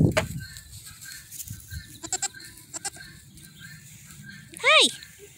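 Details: A young goat kid at play gives one loud wavering bleat near the end, after earlier clatter and rustling, with a person's voice in the background.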